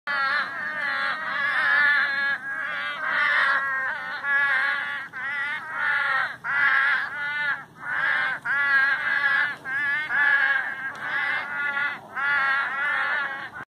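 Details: Frogs in the Sonoran Desert calling in bleating, nasal bursts, each about a second long and repeated almost without pause.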